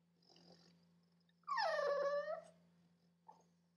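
A sleeping English Bulldog gives a single drawn-out whine that slides down in pitch and then levels off.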